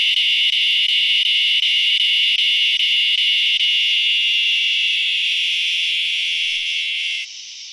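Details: A northern dusk-singing cicada sings right before dark on a late-summer evening, giving a loud, steady, high buzzing drone that holds for several seconds and then cuts off. This song is often mistaken for a katydid.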